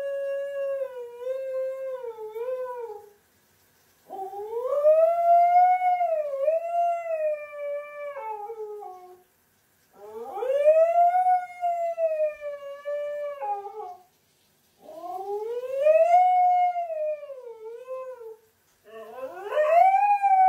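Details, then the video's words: Siberian husky Mika, a demanding female pet, howls at her owner indoors after being refused play; four long tonal howls of several seconds each, arching up and down in pitch, separated by brief silences. "Husky is extremely dramatic and high maintenance"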